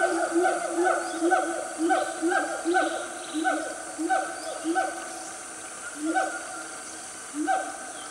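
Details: Family of siamangs in Selangor's Gunung Nuang forest, Malaysia, calling around 10 am: a dense chorus of overlapping hoots at first, thinning to scattered single hoots with quiet gaps later.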